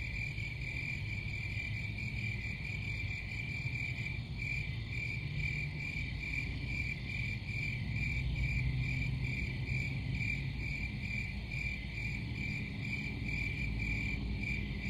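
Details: Crickets chirp in a sharp, rhythmic high trill, pulses coming about two and a half times per second, over a loud low-pitched rumble.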